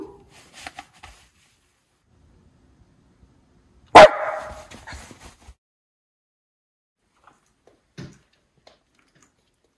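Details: Miniature Schnauzer Levi by a frozen lake in Aroostook County, Maine, alerting on a cold January day before a snowstorm; one loud bark after quiet, followed by a short trailing rasp, then near silence with faint knocks.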